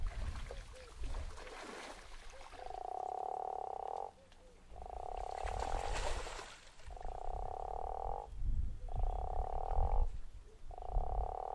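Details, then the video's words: Snoring guttural toad calling at Zeekoevlei: five harsh, buzzing croaks, each about a second long, spaced a second or so apart over low background rumble. "The Snoring Toad"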